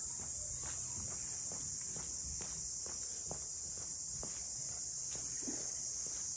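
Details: Cicadas calling around the traditional port houses of Ine no Funaya, north of Kyoto: a steady, dense high-pitched hiss that never breaks, with soft irregular footsteps of someone walking through the townscape.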